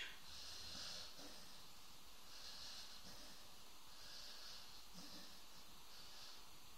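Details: Snoring dog with steady hissing breaths roughly every one to two seconds, some faint throaty grunts beneath, the room otherwise quiet.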